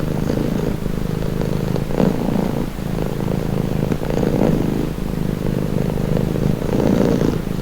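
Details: Domestic cat purring in a low steady rumble with breath-paced swells every second or so, slightly muffled, over a faint low background hum.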